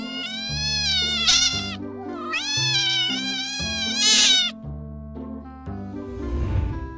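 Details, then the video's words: Domestic cat giving loud, long, bright meows, two strong drawn-out cries rich in overtones with a slight upward bend, accompanied by a steady musical backing. "EFEK SUARA KUCING|CAT SOUND EFFECT"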